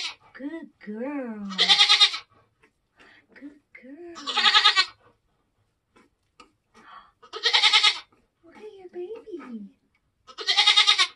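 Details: Nigerian Dwarf goat doe on a homestead, giving birth to kids during kidding season: loud, harsh, harmonic bleats about every three seconds, four in all, with people talking quietly between them.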